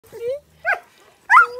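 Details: Greenland Dog puppies, husky-type sled dogs kept outside town in Greenland and fed daily by their owners, giving three short, high whiny yelps within about a second and a half, the last one sliding into a thin held note.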